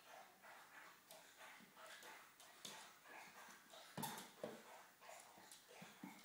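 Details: Springer spaniels Gunnar, Kala and puppy Diesel wrestling in play: soft low grumbling growls and huffs, with sharp knocks and scuffles cutting through a steady background hiss.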